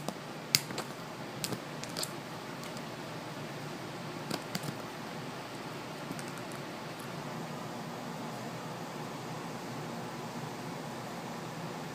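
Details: Quiet indoor room hiss with steady fan hum and a few faint clicks, no animal sound.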